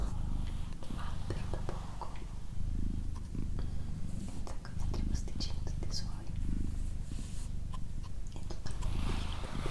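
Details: Doroti, a female pet cat, purrs in a steady low rumble with rhythmic breathing pulses, while soft whispering and small clicks and taps sound over it indoors.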